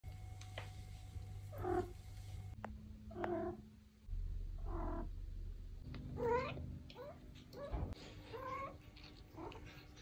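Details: Maine Coon cats react to having their backs touched with drawn-out, wavering meows, one after another, over a steady low hum.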